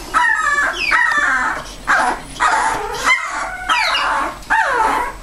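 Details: A mother dog named Bella with her puppies. Loud, tonal yelps and whimpers fall in pitch, several overlapping, repeated in quick bursts about once a second.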